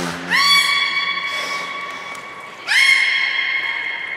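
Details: Two long, clear harmonic calls from belugas in training at Port of Nagoya Public Aquarium, 1 December 2019, featuring Hodoi, Gray and Mirai; each call rises sharply then holds level, with a faint low hum beneath.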